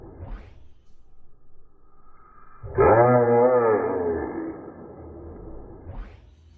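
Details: Bullfrog from a funny frog compilation giving a single deep, droning call of about two seconds with a rich stack of harmonics that bends slightly in pitch. Soft rustling and knocks come before and after.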